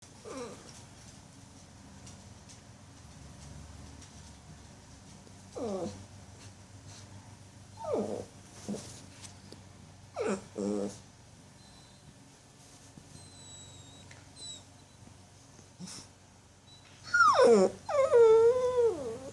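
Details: Puppy named Jill making noises before going to sleep indoors: scattered short whines sliding downward, then a louder run of wavering, squeaky yelps near the end, over a quiet room hum.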